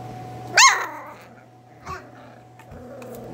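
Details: Miniature Schnauzer puppy indoors letting out one sharp high yelp, then a fainter short cry a second later, over a constant low hum and a quiet room.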